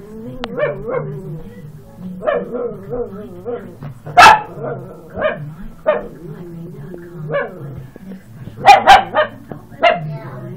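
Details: Chihuahua on the attack, giving a continuous wavering growl broken by a few sharp, loud yapping barks, two close together near the end.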